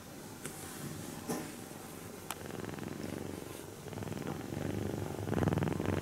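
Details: Napping kitten purrs as it is softly stroked; a low pulsing purr swells louder toward the end, mixed with brushing and rustling noises from the stroking hand.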